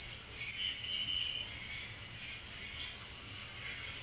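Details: Crickets at night sustain a bright, high, buzzing trill, accompanied by fainter, slightly wavering lower chirps and a soft low murmur.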